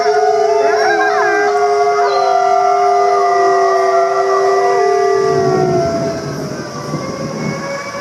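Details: Wolves howling to communicate with the pack, long level tones held for about five seconds with quick yips and warbles over them, then the chorus fades, leaving softer lingering notes and background hiss.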